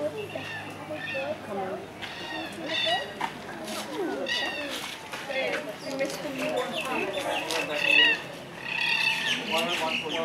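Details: Meerkats, a group with a baby, at Taronga Zoo in Sydney, Australia, give a busy stream of short, high chirps and squeaky peeps over people talking.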